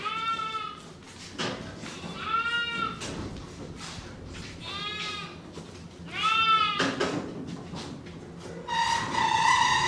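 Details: Angora goats on shearing day bleat repeatedly, three quavering harmonic bleats spaced about two seconds apart, with knocks between them and a louder rough call at the end.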